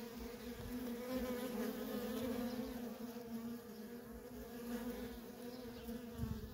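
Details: Feral colony of honey bees, workers streaming in and out nonstop; a dense, even hum with a clear higher harmonic, swelling slightly early on, with faint low rumbles beneath.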